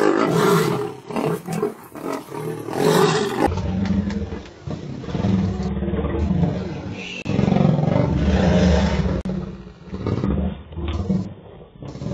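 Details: Lion roaring where adult males drive off their two-year-old sons: a powerful, low, grunting roar sequence, with long throaty bursts repeated in rapid succession over steady background rumble.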